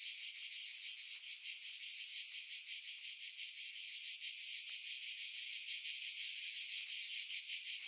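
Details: Cicadas in pine trees about 50 m above the sea at Pefkos Bay, Skiros Island, Greece, in July 2018, recorded with a Sony RX3 and external mic: dense high-pitched buzzing, steady and continuous, with faint rapid pulsing; wind filtered out.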